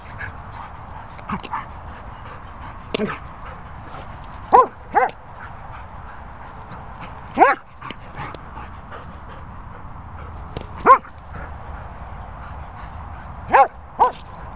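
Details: German Shepherd dog: a few short, high, sliding whines and yelps, spaced several seconds apart over a quiet, steady background hum.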